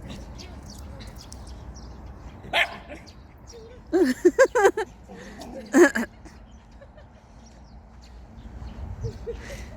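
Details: Pet dogs, a schnauzer and a West Highland White Terrier, recorded on 4 January 2020: a quick run of four sharp harmonic barks, a pause, then one more bark, with people talking nearby and indoor background noise.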